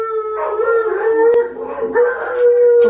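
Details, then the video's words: Siberian Huskies join Tonka the Malamute, heard howling on TV, in a steady chorus: several sustained, overlapping howls at a fairly level pitch, layered and continuous, with a sharp click partway through. "Huskies howling with Tonka the Malamute!"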